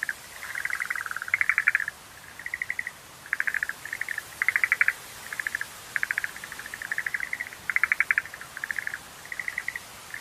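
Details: Separate short bursts of rapid clicking pulses from Schlegel's green tree frogs, spaced out more than in a full chorus, some louder and rattling, others softer, with brief silences between.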